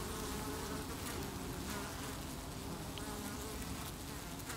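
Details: Colony of honey bees defending their hive against beewolf wasp attacks, August 2018, evacuating an intruder beneath the landing board; a continuous droning buzz of many bees, low and steady, with faint higher flickers of passing wings.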